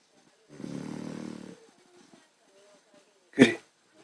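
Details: Puppy asleep and snoring: one rough, buzzing inhaled snore lasting about a second, followed by near silence with faint breathing, then a sharp knock-like thump near the end.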